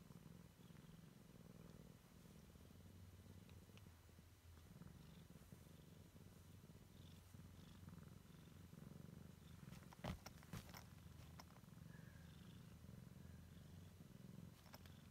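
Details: A Siamese kitten checking out the world for the first time purrs in a deep, even drone, the rumble swelling slightly in places, while a few sharp clicks and rustles break in near the end.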